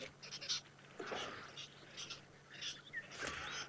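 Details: Squirrels alarm calling at sunrise in Djuma Game Reserve, Sabi Sand, Kruger Park, South Africa, one running toward the ground, perhaps after a bird of prey flew over; repeated harsh, scratchy chattering bursts roughly every second, with a low engine hum beneath.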